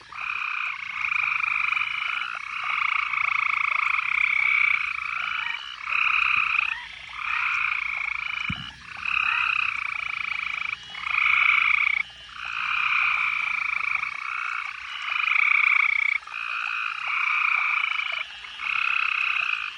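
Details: Frogs singing loudly on a peaceful summer night at sunset from the trickling water of a horse trough; a dense, continuous trilling chorus in bands near one and two and a half kilohertz, swelling in overlapping bursts of one to two seconds, with one brief thud.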